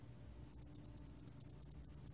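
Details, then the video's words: High-pitched ticking of a spotted-wing hairy cricket, 2020 National Institute of Biological Resources recording, with pulses grouped in quick doublets and repeated evenly for over a second and a half above a quiet low hum. "점날개털귀뚜라미, 여러번 듣기, 곤충소리"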